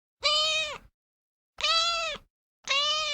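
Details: A cat gives three long, steady meows, each over half a second, flat in pitch with a slight droop at the end. They are separated by short silences in a clean, quiet recording.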